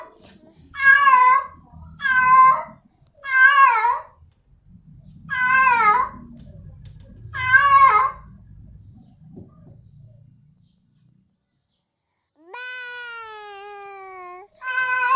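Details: Female cat in heat calling a male; repeated wavering meows about a second apart, with low rumbling background noise, then a long steady drawn-out yowl near the end.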